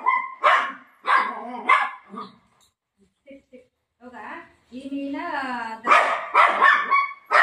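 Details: Milo, a pet Golden Retriever resisting a tablet at home, barks in short rough bursts at the start and again near the end, with a woman's coaxing speech in between, heard indoors.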